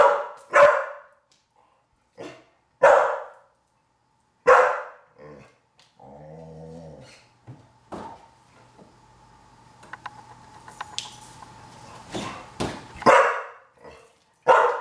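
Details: Veronica Lynn, a Pit Bull, indoors while learning to fetch a single-serve bottle of wine from the fridge: loud, full barks in spaced bursts, a humming, clattering stretch midway, then quicker barks near the end.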